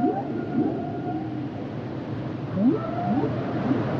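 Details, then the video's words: Humpback whale song: repeated short upswept cries in quick succession, layered with a thin sustained tonal line above, against a constant underwater hiss. "Sounds and Songs Of The Humpback Whales"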